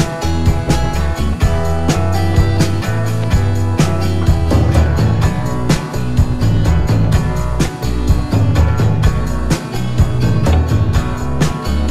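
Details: Continuous rock music with drums, guitar and strong bass throughout.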